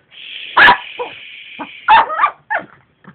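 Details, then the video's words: Dog Elmo barks at a running vacuum cleaner, whose steady high whine fills the background. One loud bark comes first, then softer yips, then another strong bark and a few fading short ones. "my dog elmo doesn't like the vacuum cleaner"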